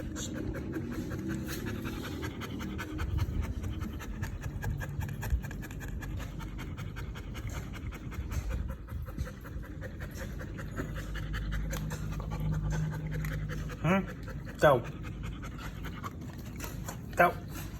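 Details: Belgian Malinois dog panting steadily in quick rhythmic breaths after chewing a pipe, with a person's voice and laughter around it and a few brief sharp sounds late on.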